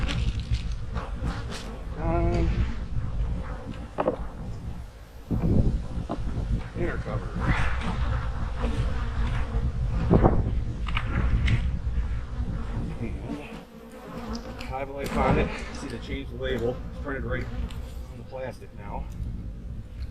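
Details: Autumn honey bee colonies being readied for winter give a thick, continuous low drone, individual bees zipping past in louder buzzes, while a human voice speaks intermittently over the humming.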